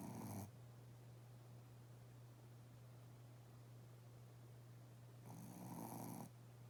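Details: Shih Tzu sleeping soundly and twitching its legs, giving loud rasping snores: one brief snort at the start and another about five seconds later, over a steady low hum.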